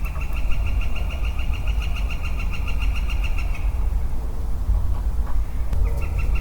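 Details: A lonely male western chorus frog calls in early spring woodland on 4 4 22: a pulsed, rasping trill of rapid clicks running about three and a half seconds, then a shorter burst, over a steady low rumble.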